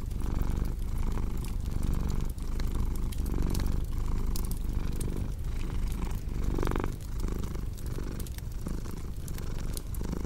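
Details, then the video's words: Low purring of a domestic cat, a rumbling drone pulsing roughly every half second in breathing rhythm, accompanied by soft crackling and occasional pops from a nearby fire. "Purring Cat with Cozy Crackling Fireplace Sound"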